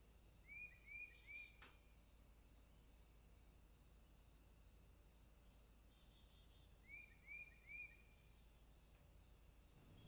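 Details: Insects in summertime make a constant high, hissing drone; two clusters of three short rising whistles break in, one early and one late, along with a brief click.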